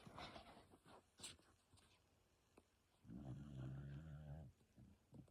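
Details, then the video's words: Sleeping pet dog snoring indoors: one long low rumbling snore of about one and a half seconds, with faint shorter breaths and soft clicks around it. "My dog snoring for a minute straight"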